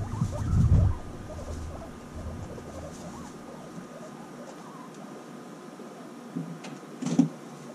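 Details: Reunited guinea pigs bonding after half a year apart: a loud, deep rumbling grunt opens, then soft chirps and faint low pattering follow, with another short louder rumble near the end.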